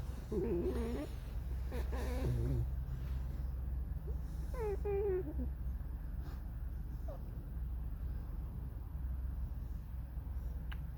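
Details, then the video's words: Alice, a pet fox in a squeaky mood, singing her mournful song: three short, high, wavering squeaks that bend downward, bunched in the first five seconds, followed by quieter rustling and a steady low background hum. "Алиса - лиса. Скрипит, поет заунывную песню."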